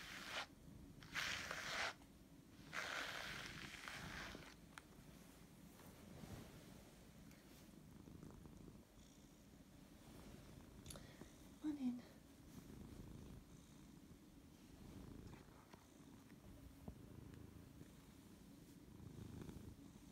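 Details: Sleepy Siberian cat that does not want to wake up, purring low and steadily in soft rhythmic pulses, with several bursts of rustling handling noise early on and a brief squeak near the middle.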